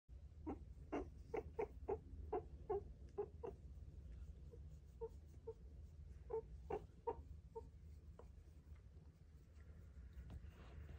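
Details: Meerkats (Suricata suricatta) give quick bursts of short, squeaky chirps over a low steady hum.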